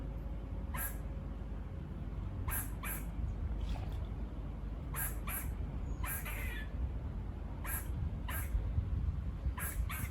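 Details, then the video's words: Barking of squirrels seen on a walk by a farm, buzzy clipped notes coming in irregular singles and pairs, some a little drawn out, above heavy low-pitched background rumble. "Squirrel barking calls"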